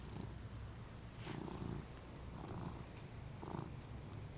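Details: Two-year-old male British Shorthair cat during play, recorded on a GoPro: low, rumbling purr rising and falling in breathy bursts roughly once a second, with a soft noisy wash over it.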